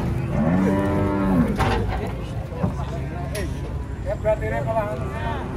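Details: Cattle unloading from a truck: one drawn-out moo over a second long, followed by shorter wavering lowing calls, against steady low vehicle rumble and occasional clatter.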